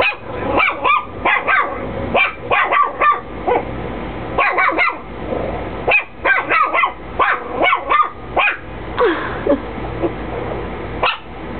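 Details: Chihuahua barking at nothing indoors, with nobody there; sharp high yappy barks in quick bursts of two to four, short pauses between clusters, a steady low hum underneath.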